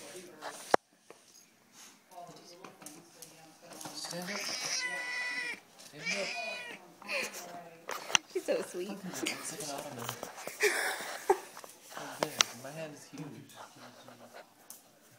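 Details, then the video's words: Madeline, a pet cat who dislikes being petted, lets out a run of complaining meows in a small room, several long wavering cries mixed with human speech and handling noises. "Poor kitty hates pet pets."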